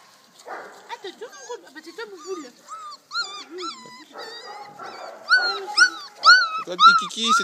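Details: Four-week-old Malinois puppies, a litter of eight born 9 October 2014 to Flora and Caïser, during deworming: high, arched whistled whines and squeals, about two a second, growing louder toward the end, over a person's low speech.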